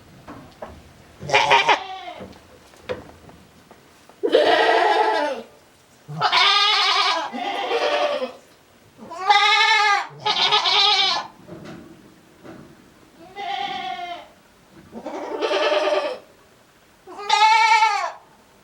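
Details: On a homemade goat farm in Japan, a male goat calls over and over in an odd voice, 7 December 2022; nine or so shaky, nasal bleats, each roughly a second, arriving at fairly even intervals.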